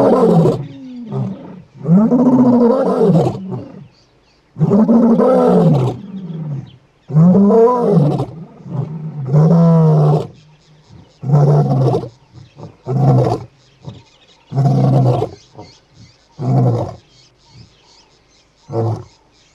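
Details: Brothers of Casper the white lion calling him with roars one morning in Kruger National Park near Satara; several long deep moaning roars give way to a run of shorter, quicker grunts that fade in force.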